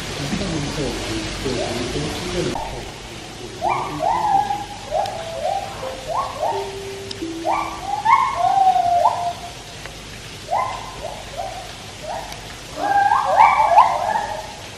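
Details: White-handed gibbons singing at Taipei Zoo. A loud, jumbled low sound opens the recording, then a long series of rising hoots and wavering phrases follows, repeated in bouts with brief pauses.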